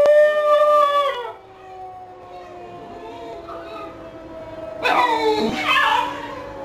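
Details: Pet basenji Bruiser joining in with the Friday tornado siren test from a nearby fire station: a falling yodelled howl opens, the siren's steady tone carries on quietly, then two more rough, wavering howls return near the end.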